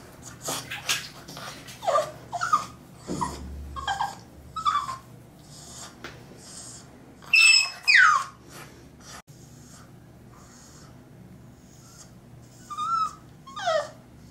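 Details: French Bulldog puppy named Carmela, three months old, fighting the bath tub indoors; scattered high whimpers and short yelping cries in irregular bursts, with quiet gaps and a faint low hum in the room.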